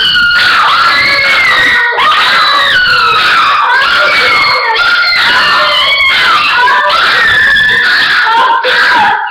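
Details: Several dogs howling together, a loud, unbroken chorus of overlapping drawn-out wavering tones that slide up and down and weave around each other for the whole stretch.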